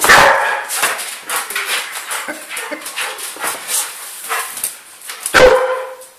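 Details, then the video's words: Female Old English Sheepdog, 12 months old, worked up while being chased. One strong bark opens and another closes the stretch, with softer whimpers, yips and rustling noise in between. "Bella the old english sheepdog getting giddy"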